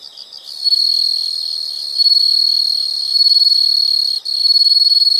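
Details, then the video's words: Insect sound for calm study or sleep: after a soft pulsed start, one continuous shrill high trill runs almost unbroken for over four seconds, with a brief dropout near the end. "the sound of insects"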